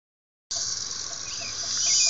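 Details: Cicadas recorded on an Android phone, a loud, steady, high-pitched buzz that starts abruptly after half a second of silence and swells slightly louder toward the end.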